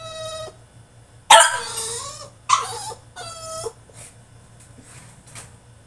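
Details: Male French Bulldog protesting in his cage with long, steady, high-pitched whines, broken by one loud, rough yelp that falls in pitch, then quieter fading whimpers.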